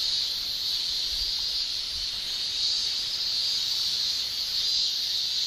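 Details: Japanese summer cicadas, males singing with their tymbals, form an unbroken high shrill drone that rises and eases slightly, with a faint low rumble in the background.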